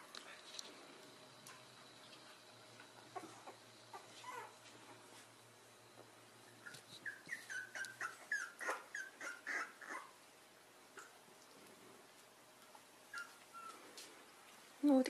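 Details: Pembroke Welsh Corgi indoors whimpering and yipping in a quick run of short, high, thin whines, then a pause and a few more soft whimpers near the end, with quiet room sounds.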